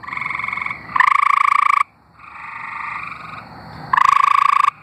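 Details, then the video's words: Singing tree frogs from Arkansas, two loud raspy pulsed trills about three seconds apart, each cutting in over a softer background trill from other frogs, with a brief near-silence between. "Singing tree frogs"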